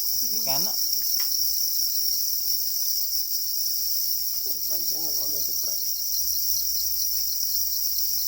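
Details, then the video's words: Black crickets said to be calling angrily while guarding their eggs: a continuous, steady high-pitched ringing trill throughout, with brief lower wavering harmonic sounds near the start and around the middle. "Black crickets or para crickets are crying angrily for their eggs"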